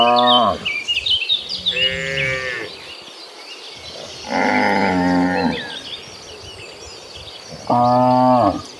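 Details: Hundreds of gentle cows being herded toward green pasture, mooing in turn: four separate moos, some short and falling, one long and level in the middle, spaced by quieter gaps filled with bird chirps and rural background.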